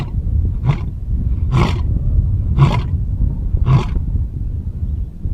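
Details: Lion in a zoo uttering four short, deep grunting roars roughly a second apart over a constant low rumble of background noise.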